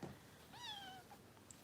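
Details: Harper, a foster kitten in Los Angeles, makes one soft, slightly falling meow during bottle feeding in a quiet room with low background hiss.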